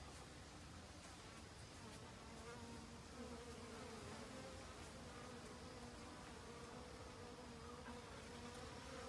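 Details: Autumn honey bees bustling about gathering winter food supplies; continuous low humming buzz with a clear tonal band, swelling slightly in loudness midway, set against constant soft hiss.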